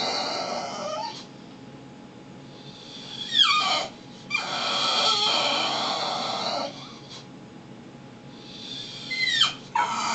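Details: Whimpering from Brutus, a pet dog being a baby at home: a few short falling squeaks and whines, separated by stretches of loud hissing noise and quieter pauses.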